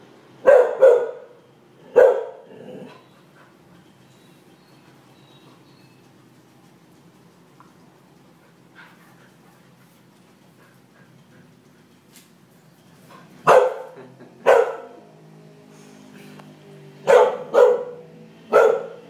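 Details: One-year-old Norwegian Elkhound in a backyard, reacting to a lizard: loud, sharp barks, two quick pairs at the start, a long quiet gap, then about five more barks in clusters toward the end.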